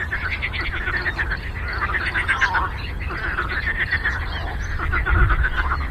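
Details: Lake frogs in a thick chorus, short pulsed croaks tumbling over one another at around four a second, over a continuous low rumble of background noise.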